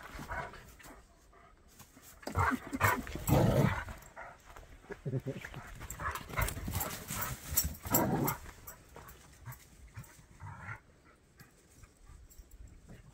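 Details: Two dogs, a Jack Russell and a Bernese, tussle in a chasing game, giving rumbling growls and huffs in uneven bursts while a person talks over them.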